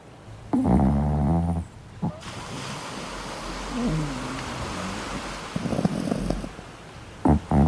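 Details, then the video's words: Chihuahua puppy talking in its sleep while cuddled during van camping on the beach; short bursts of low, harmonic groaning whines, with steady broadband rushing noise filling the gaps between them. "Chihuahua Pup who’s Talking in Sleep"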